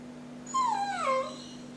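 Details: A trained Jack Russell puppy answers a request to say merry christmas. It gives a two-part whining howl: a high note that falls, then a lower sliding note, with a steady hum underneath. Praise follows.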